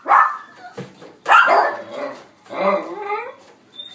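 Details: Mixed-breed male puppy, white and black, born 31 December 2018, at a pet shop; three loud, harsh barking bursts about every 1.3 seconds, the last one drawn out and more tonal, with quiet room noise between.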